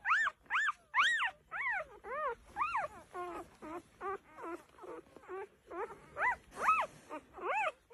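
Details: Vizsla dog producing a steady series of high, arched whining cries, roughly two per second, rising and falling in pitch like a plaintive singing moan.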